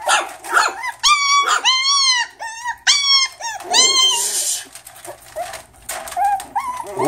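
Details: Several Miniature Schnauzer poodle Chihuahua mix pups whining in a small room, long tonal cries with rich overtones rising and holding, repeated in quick succession, then softer whimpers and a hiss of rustling near the end.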